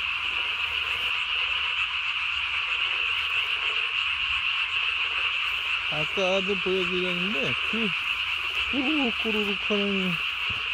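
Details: Japanese tree frogs at night on 3 May 2020, throat sacs inflated as big as their bodies. A continuous high chorus hums throughout, and two clusters of deeper, quavering, downward-bending croaks arrive after six seconds.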